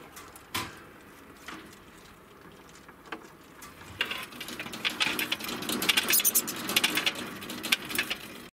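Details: A mother degu, a female estimated at 4 years old, gives rapid, high, clicking chirps that build into a dense chatter.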